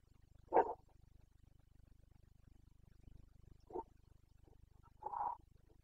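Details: Carpathian red deer stag roaring in the rut, the breeding season (boncănit), in the Bucovina mountains of Romania, 29 September 2022; three short, hoarse roars, the first loudest and the others softer and spaced apart, over a steady low hum.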